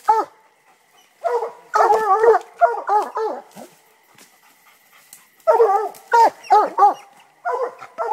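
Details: Two Black and Tan Coonhounds, one 2 years old and one 9 months old, give a loud, rapid chop-bark, repeated in ragged bursts while treeing a raccoon.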